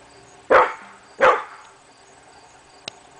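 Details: Two loud, sharp barks under a second apart from Hemi Bleu, a pit bull barking at nothing on the morning of August 22, 2012, followed by quiet and a faint click.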